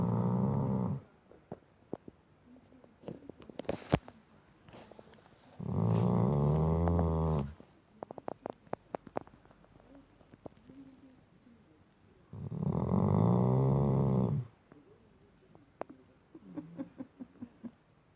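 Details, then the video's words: A Shar Pei pup asleep at the bottom of a bed at night snores loudly: three long, low rumbling snores roughly six seconds apart, with soft clicks and small rustles between them in a quiet indoor room. "Funny, loud, Snoring Shar Pei"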